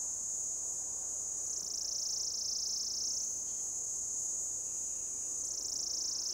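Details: Orange cicada belting out its mating call from a lichen-covered old deodar trunk, forest at Jabbarkhet, Uttarakhand, India; an unbroken piercing buzz that dips lower, rises, then dips again near the end, with abdomen-driven modulation.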